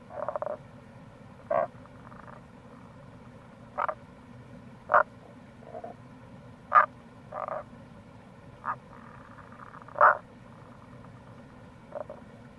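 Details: Tago's brown frogs heard in April beside a gorge along the Kamo River in Itoshima, Fukuoka, Japan, giving brief low croaks spaced irregularly a second or two apart, some faint distant callers, over constant stream rush.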